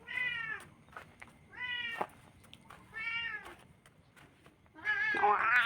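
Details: Orange domestic cat meowing after eating its fill: four drawn-out, nasal, harmonic meows about a second apart, the last one louder and higher, running into a louder burst of sound.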